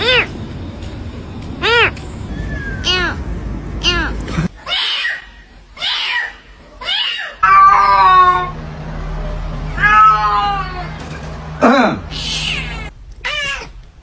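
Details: House cat meowing repeatedly, short rising-falling meows roughly every one to two seconds. Some are longer, wavering cries. Brief low background sound and faint speech are also present.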